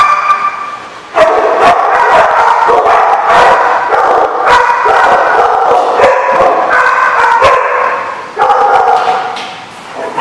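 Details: Many dogs bark together at a dog boarding or play facility, recorded 13 July 2015, a loud, dense, continuous chorus of overlapping sharp barks and yips with brief lulls.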